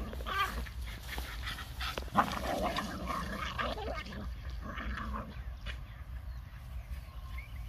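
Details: Four pet Boston Terriers, puppies and an older dog, playing together: rough, harmonic growling and yelping bursts overlap irregularly, with short sharp yips and some scuffling noise.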